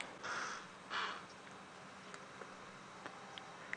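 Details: At sunset on 13 January in Djuma Game Reserve, South Africa, a herd of impala sitting down give two harsh, explosive snorts half a second apart, an alarm call on seeing something, then quiet with faint clicks and hiss.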